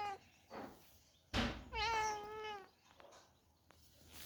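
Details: House cats invading a home kitchen: one clear drawn-out meow with a stacked harmonic tone, steady then gently falling, after a sharp knock and a short fainter cry; quiet room background.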